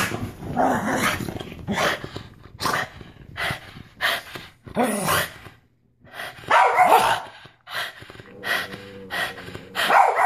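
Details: Pug going wild after a bath, worked up from being wet; short sharp barks and yips come in quick bursts about every second, some growly, with brief gaps between volleys.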